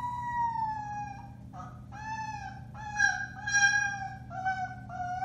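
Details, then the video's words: Alaskan Malamute puppies, four weeks old, of the Bema and Cole litter on March 30, 2021, give long, steady howls with rich harmonics, broken by brief pauses and sliding pitch steps, several voices overlapping. "Alaskan Malamutes: Bema & Cole Litter, March 30, 2021: Puppy Howling, 4-weeks old"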